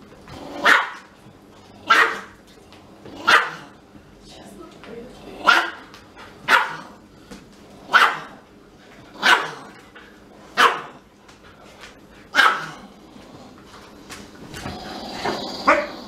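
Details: Siberian Husky indoors, crying because it is not allowed to smell a little Pomeranian; loud, short yelping barks repeated about every one to two seconds, fairly regular, with a brief human voice near the end.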